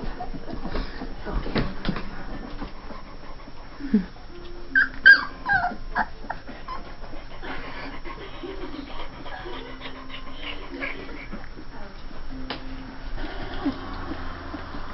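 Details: Two-and-a-half-week-old Saint Bernard puppies from a June 18, 2011 litter whimper softly, with thin drawn-out whines and a few brief high squeaks midway, then quieter low moans, over faint room noise.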